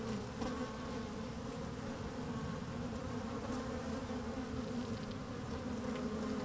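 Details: Honey bees working inside an open hive on a fine, sunny day, microphone slid down among them: a steady dense hum with layered low tones, constant throughout with faint wind.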